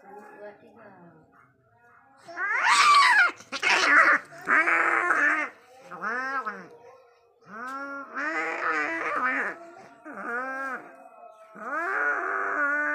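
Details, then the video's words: Cats fighting angrily, giving drawn-out wavering yowls and rising-falling moans in bursts, some loud and harsh, with quieter gaps between; a person's voice may also be present. "Deadly fight between cat🐈 angry cat😾"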